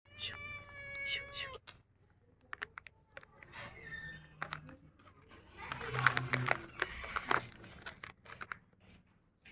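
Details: Hungry baby kitten meowing: two clear high-pitched mews at the start, then fainter squeaks, with rustling and handling noises and a low background hum.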